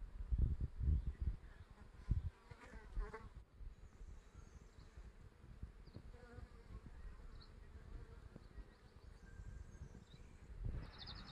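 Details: Bees flying around blossoming common barberry (Berberis vulgaris), recorded 3 May 2018: loud buzzing bursts as insects pass close in the first seconds, then a quieter hum with occasional faint high chirps near the end.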